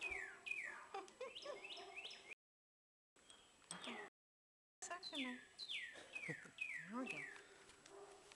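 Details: Baby squirrels being hand-fed with a syringe: rapid high squeaky chirps sliding downward, given in quick overlapping bursts, with brief gaps and some soft handling noise.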